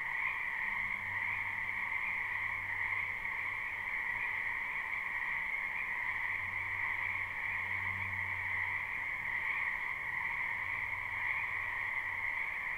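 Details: Croaking frogs fill a spring wetland behind a house, captured live: a thick, constant chorus of high trilled calls, unchanging throughout. An intermittent deep hum rises and fades in the background.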